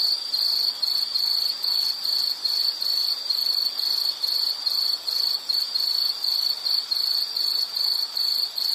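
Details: Rhythmic insect chirping, with sharp high bursts repeating a bit more than twice a second and brief gaps between them, in a quiet natural setting.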